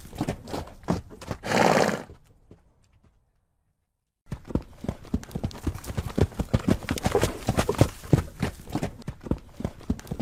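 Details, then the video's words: Galloping horse: hoofbeats with a short, bright whinny near the start, a pause of near silence, then a steady run of hoofbeats. "Som de Cavalos Relinchando e Galopando"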